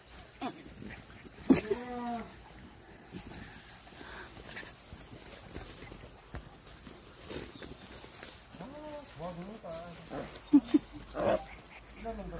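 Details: Pedigree Jindo puppies, black-and-tan and fawn, growing up before adoption; thin arching whines near 2, 9 and 10.5 seconds, each a short rising then falling cry in quick runs, with a woman talking to the dogs and soft handling noises.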